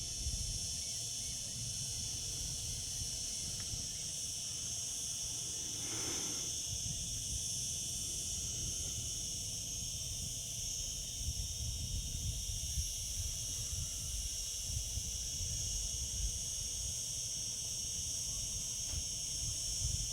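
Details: Cicadas in summer keep up a constant high electric drone across the whole stretch, a brief broad rushing swell around six seconds, and low rumbling noise beneath.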